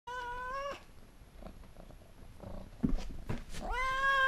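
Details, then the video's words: White Oriental cat, a curious female following the camera to see what is in the hand holding it. She gives a long, steady, tonal meow, then quiet shuffling noises, then a second drawn-out meow that slides up at its start. "Talking white Oriental cat"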